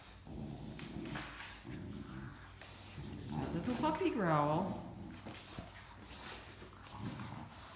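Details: Talkative Great Dane puppy Mikey complains while tussling with adult Great Dane Ellie over the same stuffed toy indoors; a drawn-out, wavering, falling moan sits in the middle, surrounded by a woman's speech and scuffling.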